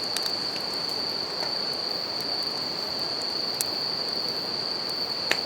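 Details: Outdoors by a crackling campfire and flowing river, bell crickets keep up a sustained, even, high-pitched ring, with frequent sharp wood pops punctuating the steady rushing water.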